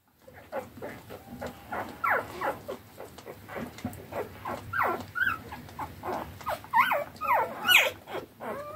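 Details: Eleven three-day-old standard wire-haired dachshund puppies rushing to feed from their mother after a bed change, making a busy overlapping chorus of short rising squeaks and whines, several high shrill peeps standing out.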